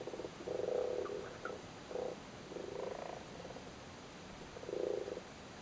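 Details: Low purring croaks from spawning frogs in a flooded cattle grid in Cork, Ireland, the males sitting on their spawn. Several short pulsed bursts come at irregular intervals, with a louder grumbling phrase near the end.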